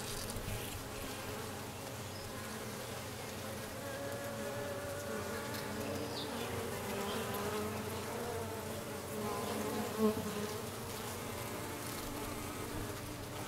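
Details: Dense droning buzz of honey bees, recorded 6/5/13 after a new dark queen arrived; the wing hum holds several stacked tones and stays even throughout.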